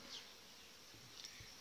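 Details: Honey bees from a very strong July colony headed by a breeding queen, buzzing inside the hive; a brief, thick, unbroken hum with two faint high flickers of passing bees.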